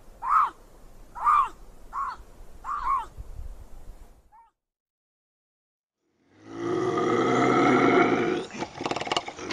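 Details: Bobcat howls and growls offered as a raccoon and rodent deterrent: four short, wavering harmonic yowls about a second apart, a silent gap, then a long, harsh, rasping howl with rich layered overtones.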